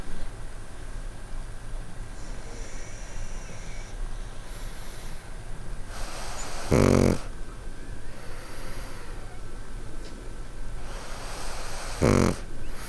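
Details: Sleeping pugs at night on a warm winter bed, two pugs snoring; rasping snores with a sharp snorting peak near seven and twelve seconds, quieter breathy noise between, low room hum throughout.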